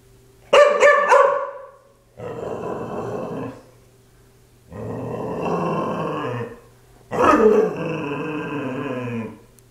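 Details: Playful pet dog producing a short sharp yip followed by three rough, rumbling growl bouts of one to two seconds each, separated by short pauses; quiet background otherwise.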